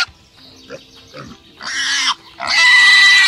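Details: Pig (Sus scrofa domesticus), squeal.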